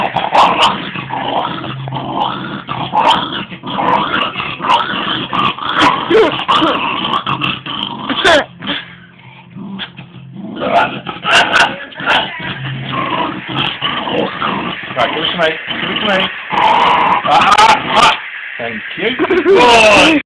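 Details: A dog growls at its ball, long rumbling growls broken by yipping, whiny notes and a quieter gap midway, then louder throaty growling at the close with scattered clicks.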